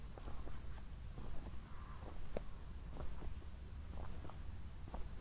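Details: Crickets chirping at night following a recent thunderstorm in Zwettl, Austria; a shrill, regularly pulsed high tone repeats steadily, with soft footsteps, faint clicks and a dull low background hum.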